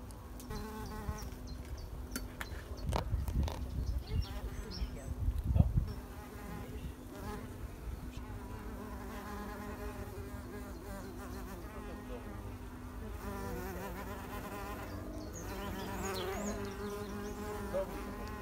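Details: Wild mason bees pollinating in spring 2021: a steady, low droning buzz with layered humming tones from several insects, with a few knocks and thumps in the first six seconds.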